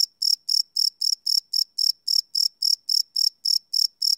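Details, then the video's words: Cricket chirping at night, recorded live on a Sony PCM D100 field recorder: high, steady chirps repeated about four times a second in an even pulse, with no other sounds. "Cricket Chirp Sound - Cricket Sounds at Night"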